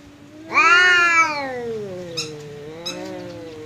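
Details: House cat squaring up to a visiting cat: one loud rising yowl that slowly bends downward into a low drawn moan, with two brief clicks near the end.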